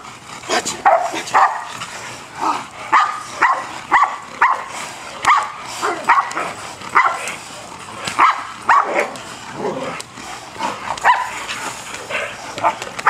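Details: Male German Shepherd doing bite work with a trainer, giving loud, sharp barks in steady bursts about twice a second for the whole stretch, with some quieter gaps and faint background noise between barks.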